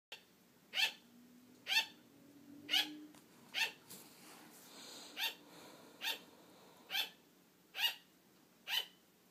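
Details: A female pet sugar glider barking indoors for attention as her owner starts to fall asleep, wanting to keep playing; short sharp barks repeated roughly once a second, ten in a row, with a faint hum beneath.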